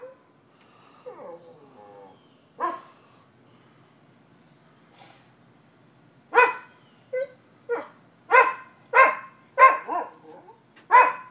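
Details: Dogs barking at a neighbouring property in Seminole, Florida, October 2015, a morning occurrence: a few scattered yaps and whines at first, then a rapid run of about eight loud, sharp barks roughly every half second.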